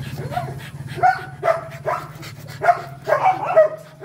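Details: Rottweiler dog in the mating process giving a run of brief tonal whimpers, about two per second and slightly irregular, over a steady low engine-like hum.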